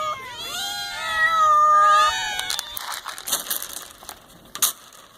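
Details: Several hungry domestic cats meowing together at feeding time, ten cats in all; long drawn-out rising and falling meows overlap in the first two seconds, then clattering and chewing noises of eating follow.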